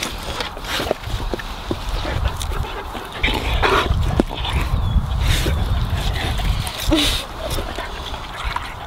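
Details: Several Labradors gobble a juicy watermelon, giving steady low, wet slurping and chomping with quick crunches about two per second, plus occasional louder juicy smacks and splashes.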